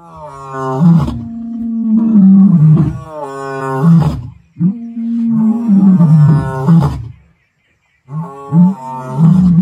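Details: Two Kambula male lions (Panthera leo) roar at sunset on 9 October 2024 in the Kruger/Sabi Sands area: deep, rumbling, long moaning bellows repeated in a powerful sequence.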